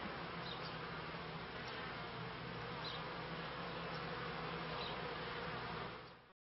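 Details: Beekeeping honey bees from the turn of the 1995–1996 seasons make a continuous, low buzzing drone layered over a broad hiss, holding steady throughout before cutting off abruptly at the end.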